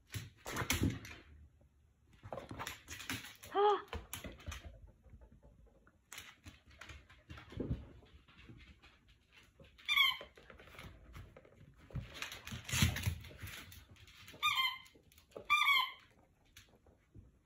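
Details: Jack Russell Terrier playing indoors, giving several short high whining yelps in bursts around ten, fourteen and sixteen seconds, with a person speaking softly between them and rustling in a small room.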